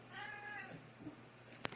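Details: Domestic cat talking to its humans: a drawn-out, steady harmonic meow of about half a second that fades out, followed by quiet and then a sharp click near the end.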